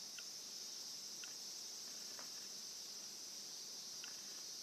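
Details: Cicada chorus heard by a pet Somali cat that stands upright at cicada and crow calls: an unbroken, shrill, buzzing hiss holds steady for the whole stretch, with faint soft ticks every second or so.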